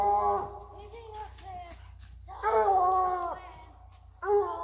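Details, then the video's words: English Bluetick Hound treeing a squirrel that went into a den tree, giving long drawn-out harmonic bawls with falling ends, three bouts over a few seconds, a low steady hum underneath. "Bluetick Hound Treeing a Squirrel"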